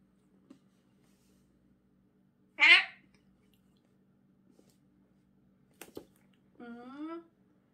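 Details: A house cat protests tooth brushing indoors with a brief, sharp meow, then a single click, then a lower, drawn-out harmonic meow.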